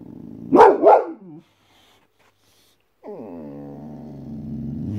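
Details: Guarding white Boxer gives a quick double bark, falls silent, then lets out a long, steady, harmonic whining growl that lasts about two seconds.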